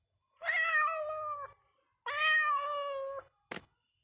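Two sustained, harmonic meows from a domestic cat, each about a second long and holding a fairly steady pitch before trailing off. A short sharp click follows the second call.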